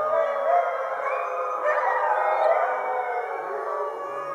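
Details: A pack of fifty huskies gives thanks for their meal under a full moon in winter. The chorus is a thick blend of sustained, overlapping howls that glide up and down in pitch at a steady, loud level.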